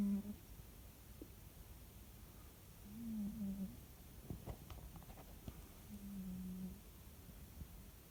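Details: Pet cat snoring while asleep at home: soft, low, droning breaths recur every few seconds in a quiet room, with a few faint clicks between them.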